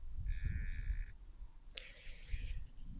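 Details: Nigerian Dwarf goat in a barn, heard through a stethoscope during a rumen check, gives short, nasal bleats over deep, muffled rumen rumbling.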